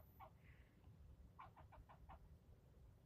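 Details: A squirrel yelling at a person, one of nearly ten minutes of continuous scolding: a quiet run of harsh, evenly spaced chattering notes, five or six in quick succession, over a low background rumble.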